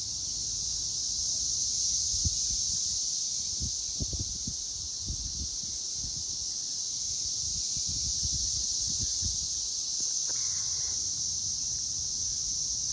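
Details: Loud cicadas on May 24, 2024 at 6:00 pm, a continuous high, hissing drone that holds steady throughout. Low thumps and rustling sit underneath, with a brief faint tonal sound near ten seconds.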